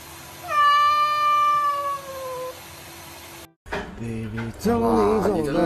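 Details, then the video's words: Cat meowing in a funny compilation of cats being showered and swimming; one long drawn-out tonal meow sliding slowly downward, then a cut to Chinese speech and a second wavering meow. "Cats Taking Shower and Swimming"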